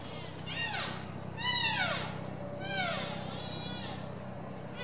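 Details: Wapiti stag in rut, captive at Tierpark Berlin, September 2015, posturing and roaring: three high, whistled calls that sweep up and then slide down, each with stacked overtones, spaced about a second apart over a steady low background hum.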